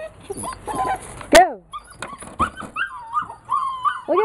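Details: Dog wanting to play gives a sharp yelp, then a run of short rising and falling whines and yips, with people talking in the background.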